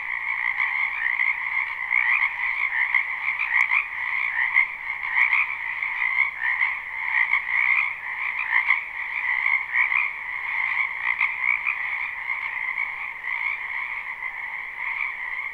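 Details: Frogs crowding a wetland in spring, recorded live beside a house: loud massed trilling croaks with audible pulsing and swells in volume, individual bursts standing out against the constant shrill chorus, a couple of brief clicks.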